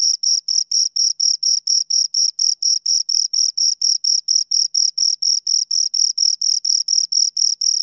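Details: Pair of crickets chirping near the listener, a bright high-pitched pulse train of rapid evenly spaced chirps, roughly four per second, with a thin upper harmonic and a silent background.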